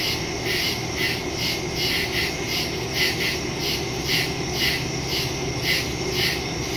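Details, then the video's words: A night chorus of woodland crickets from September 2, 2023, Samsung Galaxy S22 Ultra with Shure MV88+ stereo mic; high, rapid chirping pulses rise and fall steadily, with a quiet background murmur beneath. "Crickets in the woods at night"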